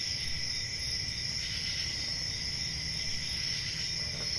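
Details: Crickets on a peaceful country summer night, a steady, unbroken chorus of high shrill trilling with a fainter lower ringing tone beneath, over a soft low rumble.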